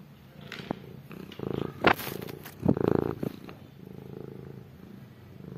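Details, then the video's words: Hungry stray cats and kittens calling for food and their mother's milk, with low, harmonic meowing bursts around the middle of the clip among soft rumbling, purr-like sounds and a few sharp clicks. "Hungry cats and kittens meows want to eat food and her mother milk"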